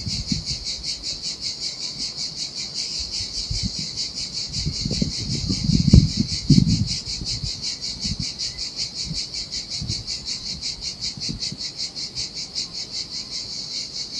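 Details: Cicadas singing in summer heat beside the sea on a desolate Sardinian beach: a steady, high, pulsing buzz that throbs about twice a second throughout, with low rumbling surges and thumps from the surf swelling midway.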